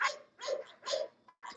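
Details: English Bulldogs at the Old Red English Bulldogs Kennel giving three strong, rough barks in rapid succession and the start of a fourth, while a man shouts "go, boys" to spur them on.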